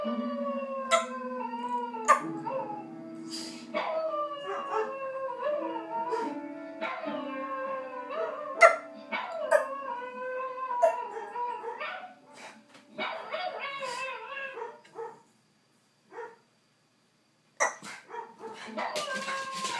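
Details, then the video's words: A pet dog howls in reaction to a recording of another dog playing piano and howling: wavering, sliding howls rise and fall over plucked piano notes and a low sustained tone, with a brief quiet gap near the end. "Dog Plays Piano and Howls"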